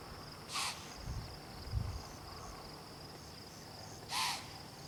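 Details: A rutting deer in a park, surprised by people, lets out two brief, rasping, screech-like calls about three and a half seconds apart over a constant high insect drone and faint low thumps.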